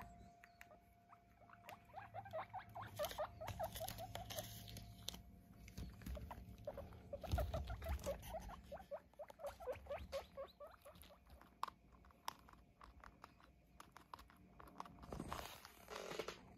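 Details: Squeaky guinea pig chatter while eight pets are weighed at home: bursts of short rising chirps in rapid runs, pausing and resuming, with handling clatter, a low hum, and a person briefly telling an animal to stay.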